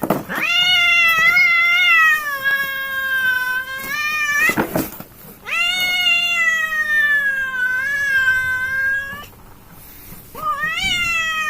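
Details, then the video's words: Fight between two village cats, heard as long drawn-out wails in two main bouts of about four seconds each, briefly broken by a gap, then a third wail beginning at the end. "A fight between two Prancis cats"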